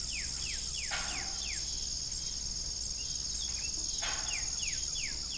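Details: An evening farm scene with an old rusty windmill: a constant high cricket trill underlies rapid runs of short descending chirps and two creaking bursts.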